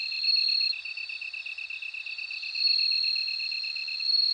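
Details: A bell cricket sings sustained high ringing notes that fade and return after a brief dip, while a lower, evenly beaded trill pulses steadily underneath.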